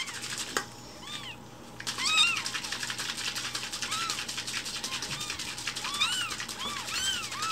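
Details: Rescued kittens about one week old, fostered indoors, umbilical cord still on. Soft, arched meows come in a loose series beneath a broad hiss of noise, with a sharp click near the start.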